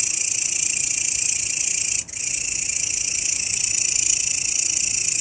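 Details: Grasshopper sound used as master recording for training songbirds: a steady, dense, high-pitched buzzing trill that runs continuously, with one brief break about two seconds in, then resumes unchanged.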